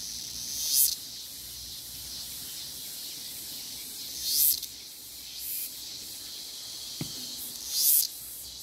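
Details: Cicada song outdoors in nature: an even, high sizzling drone with three strong rasping bursts spaced about three to four seconds apart and one sharp click.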